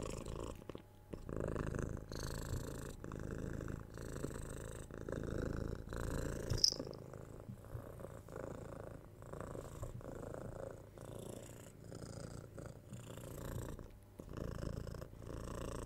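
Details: Young kitten, six months old, purring during cuddles, pats and head scratches; continuous low vibrating rumble with brief pauses and light rustling and kissing sounds from the person handling it.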